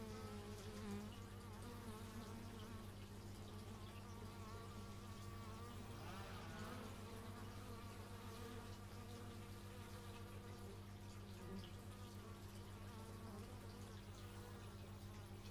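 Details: Buzzing bees, taken in stereo using an x/y microphone, hum continuously at a low pitch for the whole stretch, with shifting overtones as insects come and go and a brief louder pass midway.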